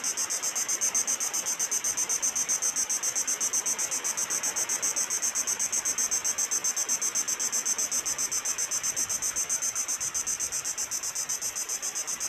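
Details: Crickets at a peaceful island spot, a rapid, steady, high-pitched pulsing chirp, about four pulses each second without a break, heard over the constant soft wash of sea waves.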